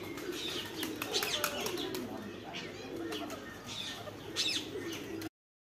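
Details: Meerkats in South Africa chatter with soft low murmurs broken by quick, sharp chirps and squeaks.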